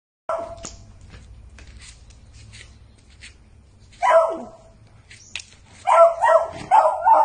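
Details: Angry pet Beagle: a low rumbling growl through the first seconds, then a sharp barking outburst near four seconds and a rapid series of harsh, harmonic barks and yelps in the final two seconds, indoors with no other sounds.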